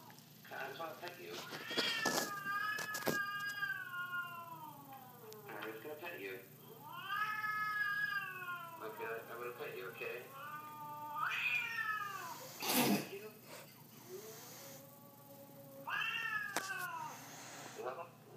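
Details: A Siamese cat, unimpressed while shown an 'Affectionate Siamese Cat' video, gives long, drawn-out meows that rise and fall, with a person speaking briefly.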